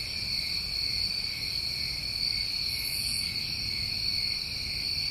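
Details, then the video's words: Crickets on a New England summer night: a dense, unbroken chorus of steady high ringing tones at several pitches, with one brief hissy burst above them and faint low rumble beneath. "Tinnitus Masking With Crickets"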